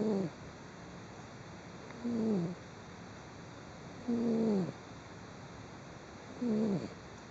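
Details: Domestic cat snoring while asleep, recorded 16 December 2010: four breathy snores about two seconds apart, each carrying a short, nasal, whistle-like tone that slides downward, over a quiet steady background hiss.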